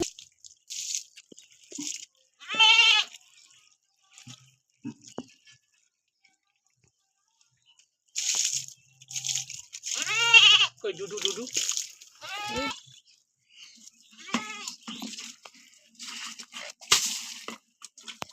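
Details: Goat being bathed: repeated short, harsh, nasal bleats, some with a shaky vibrato, scattered between bursts of hissing, splashing noise and quiet handling sounds.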